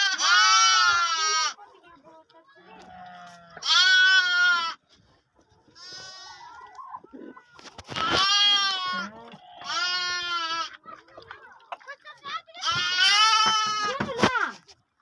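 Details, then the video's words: Lambs and sheep meeting while lambs drink milk: six or so loud quavering bleats, some drawn out and shaky, alternating with softer murmuring calls between them. "Baby Sheep sound , Sheep Lamb Bell Sound"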